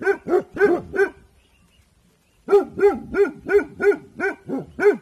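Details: Evening alert barking by Dabu Goli, a Bhotia guard dog. Four quick barks, a pause of about a second and a half, then a long even series of loud, regularly spaced barks.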